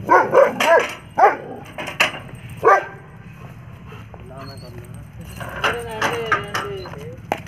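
A German Shepherd gives several sharp, loud barks, followed by people talking.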